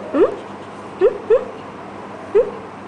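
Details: Shih Tzu whimpering: four short, rising, squeaky whines, the first alone, then two close together, then a last one after a pause, over a faint steady hum.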